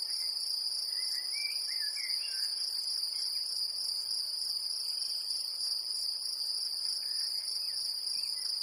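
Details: Great green bush-cricket in Brittany, France, producing a shrill, sustained high buzz that never pauses, with brief chirping bird notes around the second and seventh seconds.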